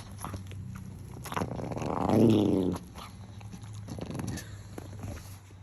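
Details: A pet dog making an unusual vocal sound: a rough, rumbling growl that swells for about a second and a half and then fades, over a steady low household hum.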